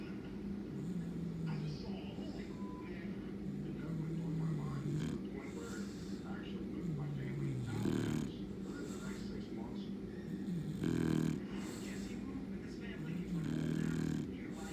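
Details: An English Bulldog snores with low, rumbling, rattly breaths that swell and fade while sleeping with its eyes open.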